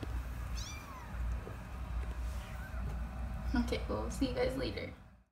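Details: Rescue kittens in foster care, eyes just opened and ears still closed, mewing indoors: a thin, high, downward-sliding mew early on, then soft human talk and handling noises with fainter chirpy sounds near the end.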